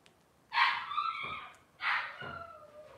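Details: Two drawn-out whining cries from Robin's Cavalier King Charles Spaniel puppies, each a bright yelp sliding downward into a fading whimper, about a second apart, indoors on a live puppy cam.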